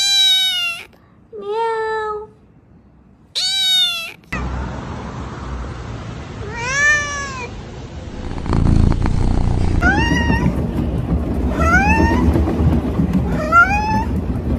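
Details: Domestic cats making funny sounds: high, clear meows early on, then a run of short rising-falling meows repeated roughly every two seconds over a steady background hum.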